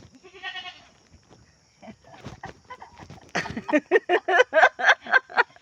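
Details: Pet goat being treated by its owners for a limp or wound at a rural home; one short quavering bleat with stacked harmonics opens, then a quiet gap and a run of rapid, evenly spaced pulsed sounds with voices and laughter.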